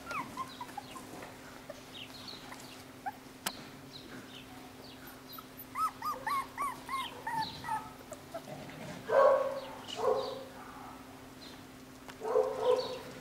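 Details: A new litter of Jackateese (Jack Russell x Maltese) puppies, nine weeks old and home bred, giving a quick series of short, high whines near six seconds, followed by louder, harsher yelps in two bursts, with a constant low hum underneath.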